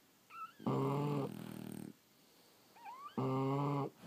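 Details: Snoring from sleeping French Bulldogs: two loud, buzzy, droning snores about two and a half seconds apart. A faint squeaky whistle comes before each one, and a softer fluttering tail follows the first.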